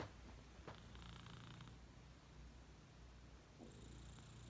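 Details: Dori, a pet cat, breathing hard or snoring: a low, rough rumble pulsing steadily, with brief airy hisses at breath changes near the start and end, in a quiet indoor setting.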